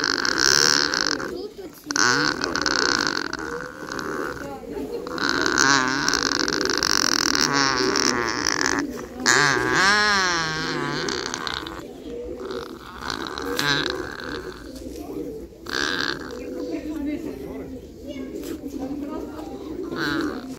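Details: Vocal dialogue between nutria: repeated wavering, vibrato moans and harsher cries come in uneven bursts across twenty seconds, one long trembling call near the middle, over a steady bed of low grunts and murmurs.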